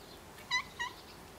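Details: Rags the cat crying alone in the garden while Snow White is out on a walk: two quick, short meows in rapid succession, clear and slightly rising, against quiet background hiss.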